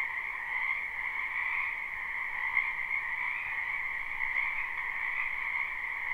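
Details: Spring frog chorus from a backyard wetland, live recording: countless frogs croaking at once in a continuous shimmering drone, a bright upper band over a softer lower one, with slight swells in loudness and nothing else heard.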